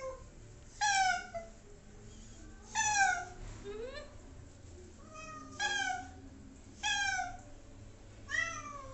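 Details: Pet cat meowing during a bath indoors while shampoo soaks in: five complaining meows, each starting high and sliding downward, spaced roughly every one to two seconds, with a softer rising mew between.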